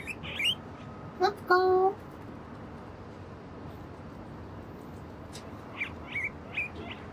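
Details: Guinea pig walking along a bridge, moving away and coming back closer; a few short high squeaks rising and falling, then a brief steady harmonic tone, later three more thin squeaks over a low hum.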